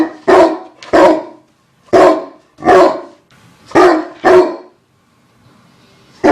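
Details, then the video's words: Deep, gruff dog barks in a steady series, seven barks over six seconds, mostly evenly spaced with one pair close together, a short pause before the last one, heard in a small room. "Dogs barking sound"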